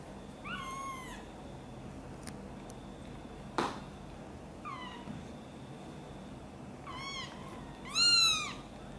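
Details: Domestic mother cat, angered when someone moves her kitten Guitar from a box toward her, gives scattered meows, a soft one early, another mid-way, then a rapid loud pair at the end, with a couple of handling clicks.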